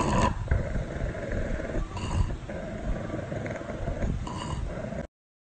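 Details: A pug gives low, rumbling growl-like sounds in several drawn-out bursts, while a person remarks that it isn't being fierce.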